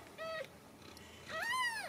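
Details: Kittens at a Ragdoll cattery in central Kansas give a brief thin mew, then after a pause a louder upward-bending meow; faint room noise underneath.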